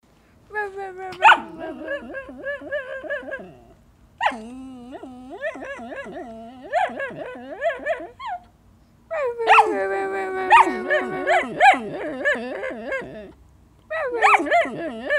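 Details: Phoenix, a six-month-old mixed-breed puppy (perhaps miniature pinscher, schnauzer, rat terrier, beagle), asking to play fetch: wavering, whiny, almost yodelling vocal runs in four long bursts separated by brief pauses, pitch sliding up and down throughout.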